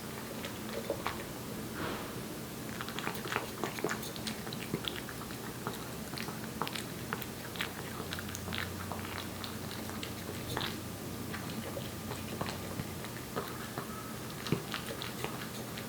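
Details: Aeppi, a one-year-old Korean Shorthair cat born in July 2018, eats wet food indoors. Dense wet smacking and chewing clicks repeat steadily throughout, with a soft low hum beneath and no voices.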